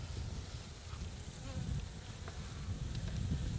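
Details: Carniolan honey bee colony in Illinois on a cold winter day, 4 March 2010, at 40 degrees, disturbed as the stuck hive is pried apart with a hive tool. A low, steady, rumbling buzz with faint handling clicks.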